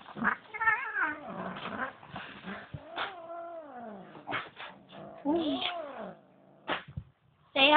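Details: Female Bengal cat caterwauling indoors, angry that another cat was brought into her home; drawn-out wavering yowls and moans with sliding pitch, broken by a woman speaking softly to the cats.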